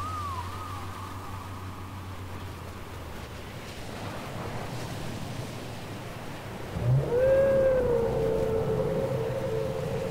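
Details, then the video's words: Whale song from a cassette: a long, level mid-pitched moan that bends downward at its start, a low droning hum beneath, then a quiet gap before a clear, rising-and-falling tonal cry with harmonics swells in loudly. "Les chants secrets des baleines"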